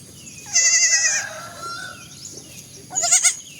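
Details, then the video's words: Baby goats bleating: a loud wavering bleat with bright harmonics near the start, a quieter drawn-out tone after, then a second short quavering bleat near the end. "funny goat sounds"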